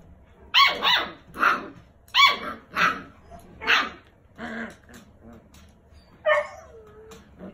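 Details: Six-week-old brother and sister foster puppies, rescued after being found alone, learning to play and bark: a run of five or six bright, squeaky barks about every half second, then a rising whiny yip near the end.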